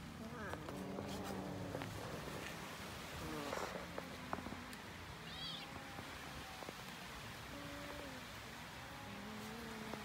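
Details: Cats being fed and eating raw fish give several drawn-out, tonal meows, some rising and falling, scattered through the clip over a steady background hiss, with a brief rustle near the middle.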